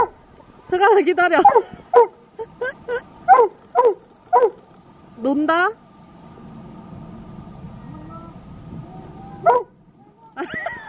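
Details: Dobermann named Roman, reunited late at night in an empty park with his owner's brother after ten days, happy and excited: a run of sharp rising yelps and whines, then a soft lower whimper under human voices.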